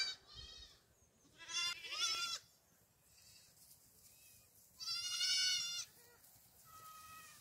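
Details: Black goat kids racing about a farm in Gimhae, South Korea, 8 July 2022: repeated loud, tremulous bleats come every few seconds from several young goats, some cracking and rising, with quieter calls in between and faint background hum.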